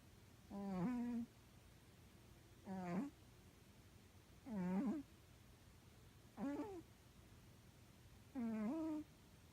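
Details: Snoring pet cat, loud enough to cover the TV, gives five buzzy, harmonic snores about every two seconds, each rising slightly at its end, with quiet room noise between them.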